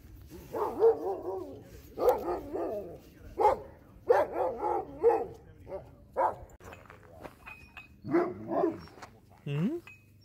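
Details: Sled dogs in Alaska crowd a visitor with friendly greetings; quick rhythmic yips and bark-like bursts come roughly twice a second, then thin out, with a final upward-sweeping whine.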